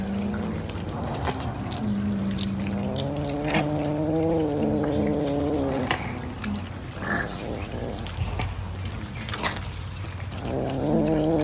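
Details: Domestic cat eating fish gives drawn-out, harmonic mewing calls, several low wavering notes in the first half, then quieter stretches with chewing clicks and a steady low hum behind.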